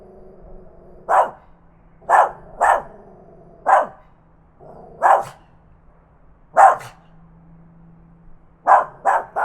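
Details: A tiny dog barks loudly, recorded on a Zoom H5 handheld recorder: mostly single clipped barks roughly every second, ending in a quick run of three, with a quiet steady hum in the background.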